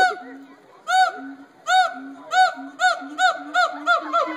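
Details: Captive gibbons at the Cincinnati Zoo: low, level hoots beneath arched, ringing whoops that repeat faster and faster toward the end.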